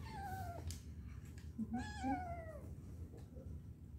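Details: Domestic cat voicing a long, slowly falling meow, then a second drawn-out meow that bends downward, with a few soft chirrups between, over a steady low indoor hum.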